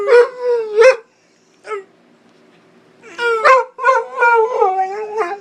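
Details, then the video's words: A Pit Bull in a howling contest with its owner gives short yelping howls, falls briefly quiet, then returns with a run of wavering, harmonic howls that rise and dip in quick succession. "Pittbull howling"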